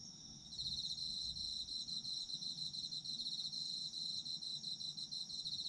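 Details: Autumn insects: after a brief quiet start, a loud, rapid pulsed trill switches on within the first second and runs evenly over a high, constant ringing chorus.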